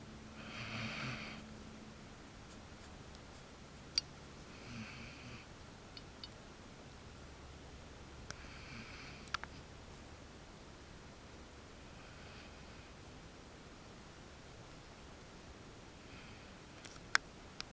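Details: A female Basset Hound sleeps and snores softly, a breathy, rasping snore recurring about every four seconds.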